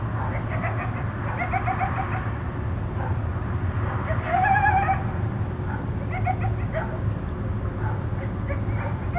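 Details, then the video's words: Coyotes contact calling at night in Tucson, giving short yips and wavering, rising-falling cries in scattered bursts, with a louder quavering howl near the middle over steady low background rumble. "Coyotes contact calling"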